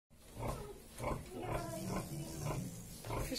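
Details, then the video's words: Domestic pig mother feeding her little piglets while they suckle; soft low grunts pulse about twice a second in an uneven rhythm, with a faint hint of a voice at the end. "Mum feeding little pigs | Sucking Little piglets"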